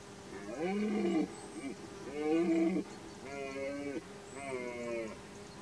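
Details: Red deer during the 2021 rut, outdoors: four deep harmonic roars, each about a second long, repeated at roughly one-second gaps with bending, wavering tones.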